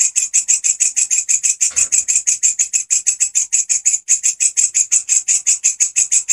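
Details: Grasshopper, a 'gacor' singer used as a master sound for training songbirds such as canaries: loud, high, raspy pulses repeated rapidly and steadily, about three to four per second, with no other sounds.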